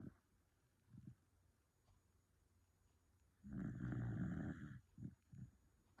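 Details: Sleeping dog snoring: one loud, low, rumbling harmonic snore of about a second, with fainter short snorts before and after in a quiet room.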